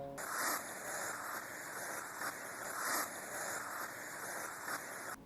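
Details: A hedgehog hisses in breathy, noisy puffs that swell every couple of seconds, usually raising its spines, a sign of irritation.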